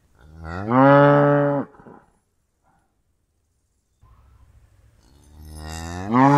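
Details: Cow lowing: one loud, full moo that rises then holds for about a second, silence, faint low rumbling, then the start of another loud moo.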